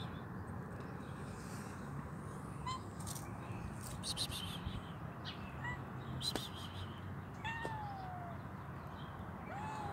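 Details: Hungry kitten with both legs amputated and troubled eyes, meowing several times; its drawn-out cries slide downward in pitch, with a longer one near the end, over steady low background rumble and faint high chirps.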